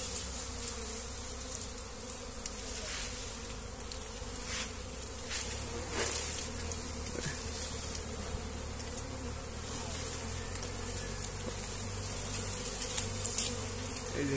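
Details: Honey bees swarming as their comb is moved by hand into a new hive box; a dense, steady buzzing hum of many bees throughout, with occasional sharp clicks and handling noises.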